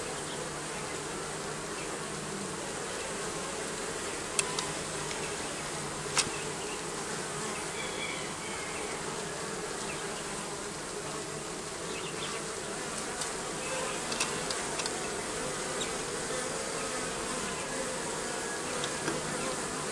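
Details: Bees massed under roofing, a steady droning hum of many wings that holds an even level throughout, with a few faint clicks and taps over the continuous buzz.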